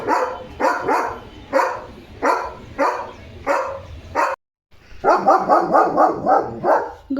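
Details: Leo, a pet German Shepherd on alert duty right after a bath, barks in loud, rapid bursts, several sharp barks with a brief gap before a faster run of repeated barks.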